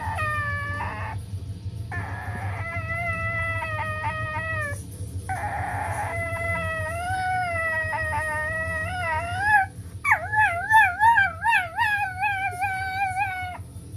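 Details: A female Italian greyhound "sings" in long, wavering, high-pitched howls that slide up and down while a beanie is played like a theremin; she reportedly interrupts her singing with a fart.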